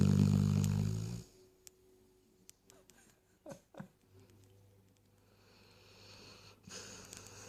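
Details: A sleeping Weimaraner, apparently dreaming, gives a deep, rumbling snore, then falls quiet apart from a couple of faint whimpers; snoring.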